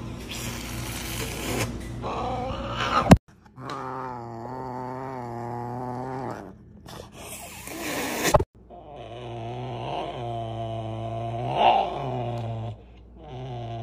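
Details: Serval giving long, drawn-out moaning roars: low, steady, strongly tonal calls of a few seconds each, separated by short silences and sharp clicks, with a brief rising inflection near the end.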